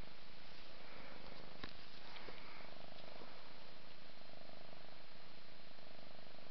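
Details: Indoors, a mother cat grooms her five-month-old kitten Ming and purrs; a continuous deep, pulsing rumble holds for the whole stretch, with a few small clicks and brushing noises from the bathing.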